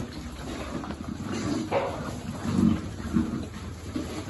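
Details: Piglet being fed among a farm pig group, giving a few short, low grunts, a louder pair near the middle and end, over a steady rumbling background hiss.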